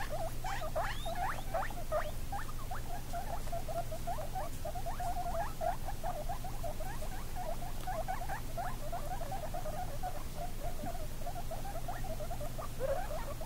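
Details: Guinea pig babies, seventeen days old, with their mother, keep up a continuous chatter of brief upward-sweeping squeaks and chirps, dense and irregular, over constant background hum and hiss.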